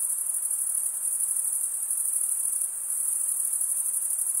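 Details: A constant high, ringing cricket trill, made by wing stridulation, continues unbroken, softening briefly near the middle and then returning to full strength over quiet background hiss.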